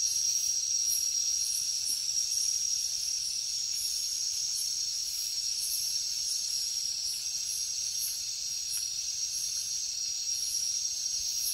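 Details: Night chorus of crickets in a jungle, a constant piercing high trill overlaid by rapid rhythmic pulses of higher buzzing, unbroken and even in loudness.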